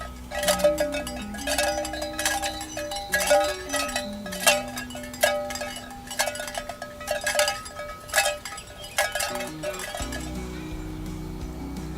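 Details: Music with a repeated bell-like chime pattern and a soft low melody runs the whole way, with no animal calls.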